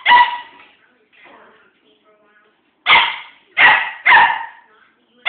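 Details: A one-year-old dog at play with a fake pumpkin gives loud, sharp barks: one bark, a quiet gap with faint voices, then a quick run of three or four barks.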